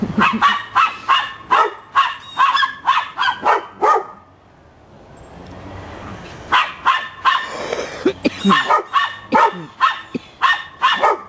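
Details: Happy pups filmed in December bark rapidly and rhythmically, about two or three barks a second, then pause briefly amid faint hiss before a fresh run of sharp barks.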